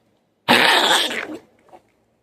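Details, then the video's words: Bubby, a Chihuahua with a collapsed trachea, gives one harsh, breathy cough lasting under a second, a dense noisy burst, followed by a couple of faint trailing rasps in an otherwise quiet room. "Bubby coughing"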